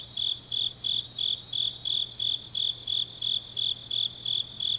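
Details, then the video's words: Deep-night autumn song of grass insects from Changnyeong, Korea: about twelve sharp, high chirps in even succession, each a short buzzy pulse, with a softer insect chorus and low hum underneath. "깊은밤 가을 풀벌레 소리"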